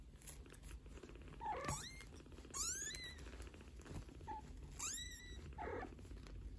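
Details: Maine Coon kittens aged 15 days with mother cat Geza talking to them; a few rising, squeaky mews and a short chirp sound over continuous purring and rustling.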